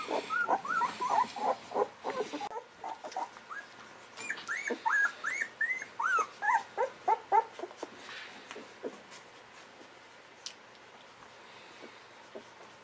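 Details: Golden Retriever puppies aged 11 to 13 days whimpering in a rapid series of high, squeaky, up-and-down whines, dense at first, then thinning out into a few scattered squeaks over a quiet background.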